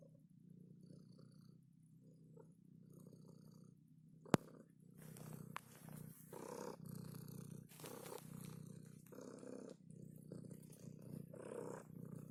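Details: Cat purring as it is touched, a continuous low throbbing rumble; from midway, rustling and handling noise grow louder over the purr.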